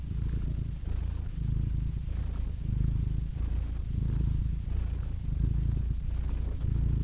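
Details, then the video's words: Rhythmic cat purring in slow cycles, a deep rumbling pulse that strengthens and fades with each breath, under a quiet hiss. "Cats Purring Soothing Sound Effects (Relaxing Cat Sounds)"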